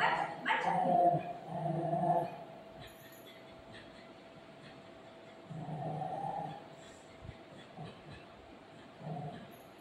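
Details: Golden Retriever playing with its owner, giving drawn-out whining tones in the first two seconds, then softer, shorter whines near the middle and end over a faint steady hiss.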